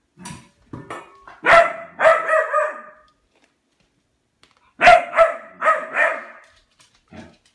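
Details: Albert, a pet dog, barks at his food bowl to demand food: two short bursts of sharp, ringing barks, the second run of four quick barks after a few seconds of silence.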